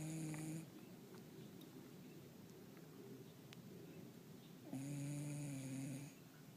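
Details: A dog snores contentedly in its sleep, with a quiet low rasp between two louder humming snores at the start and near the end.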